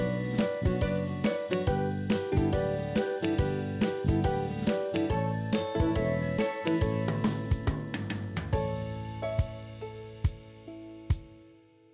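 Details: Plucked, chiming instrumental music with a regular beat plays and fades toward the end; no animal sounds are heard.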